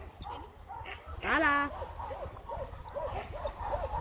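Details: Tala, a two-year-old medium-sized female German Shepherd mix up for adoption, gives a single short harmonic bark. Soft arched squeaks repeat after it, with quiet human voices in the background.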